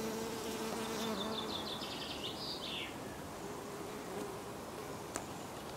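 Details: Honeybee at a fragrant rose: a soft low hum for the first second and a half, then a quick run of high thin chirps from a small bird, fading into faint background hiss with one sharp click.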